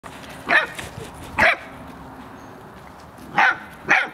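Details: Airedale Terrier puppies bark at a mule while playing, learning and seeking attention, giving sharp, high-pitched barks in short bursts spaced one to two seconds apart.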